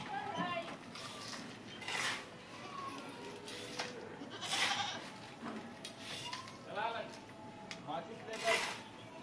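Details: Goat eating green fodder on a farm, giving a few short wavering bleats with layered harmonics spread across several seconds, while people talk nearby and children's voices mix into the background.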